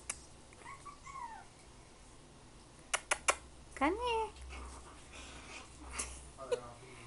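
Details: Cream Pomeranian puppy from a litter whimpering: short high whines that rise and fall, one brief pair early and a stronger curved whine midway, with soft clicks, thumps and a woman's coaxing voice nearby.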